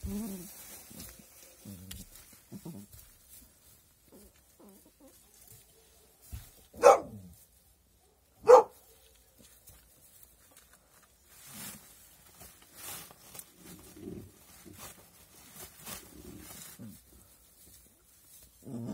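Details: Puppies giving two short, sharp barks close together, near the middle of the recording, set against long quiet stretches of soft low rustling and faint shuffling sounds.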